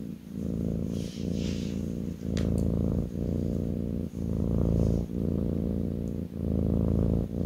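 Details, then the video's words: A kitten on its owner's lap purrs loudly and deeply in steady one-second surges, with a few faint clicks and soft handling sounds above the rumble. "kitten purring"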